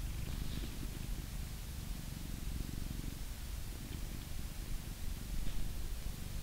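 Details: Blue British Shorthair cat, male, in England, purring during grooming with a brush; a dense, steady low purr dominates, with only faint occasional brush sounds.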